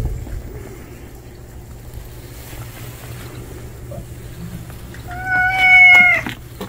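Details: A male stray cat, a stranger newly arrived, utters one long, level meow late in the clip after several seconds of quiet, with a low steady hum throughout.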